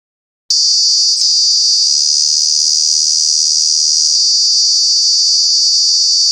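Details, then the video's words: Cicada, a true bug, calling loudly in summer at Kanha National Park, Mandla, Madhya Pradesh: after half a second of silence a continuous shrill high buzz begins abruptly and holds steady without a break. "Cicada, Cicadas are true bug with very loud sounds"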